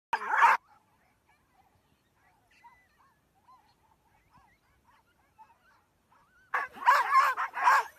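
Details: Pack of Greenland dogs in Greenland: a short burst of loud, rough overlapping calls, a quiet stretch of faint soft sounds, then another loud cluster of harsh barking calls near the end.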